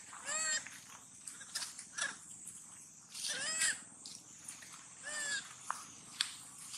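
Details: Hungry baby monkey calling sadly while looking for its mother: three arched, rising-then-falling harmonic wails spaced about two to three seconds apart, with softer short squeaks between them over a constant high-pitched background whine.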